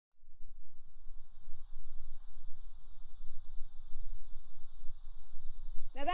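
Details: An annual cicada gives its summer mating call from the treetops, a steady, high, shimmering buzz that drones on without a break.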